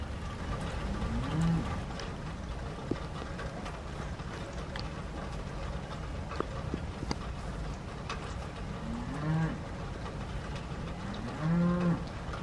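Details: A cow moos on a farm during much-needed rain, giving three drawn-out, low lowing calls, one near the start and two near the end, over a steady hiss of rain with occasional sharp clicks.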